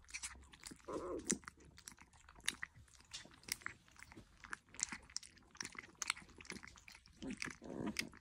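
A Weimaraner puppy laps and slurps milk with wet, crunchy clicks and smacking sounds.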